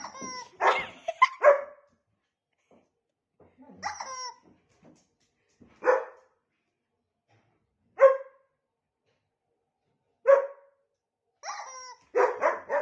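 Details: Female dog indoors, agitated and upset as her owner plays with her noisy toy, barking and growling at it; sharp, harmonic barks and whiny yelps come singly every two seconds or so, ending in a quick cluster.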